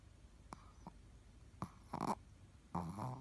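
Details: Ruby, a Shih Tzu and the shop's mascot dog, snoring on 17 February 2018 indoors: a few soft clicks and breaths, then two rough, raspy snorting snores near the end.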